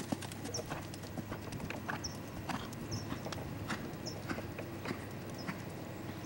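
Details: Lusitano stallion named Lavrador, hooves striking the ground in irregular clip-clop beats, roughly a hundred per minute, while a small bird repeats short, high chirps every second or so in the background.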